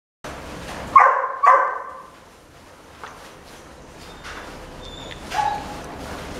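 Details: A female red Miniature Dachshund puppy at a pet shop, born 12 May 2017, gives two sharp, high yipping barks in quick succession, then a softer yelp.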